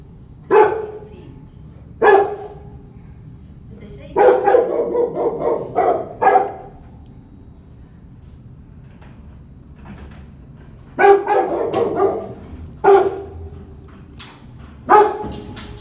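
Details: Labrador Retriever Jojo, shut in his kennel, gives single loud barks spaced a second or two apart, then clustered flurries of barking, with quiet stretches between the bouts.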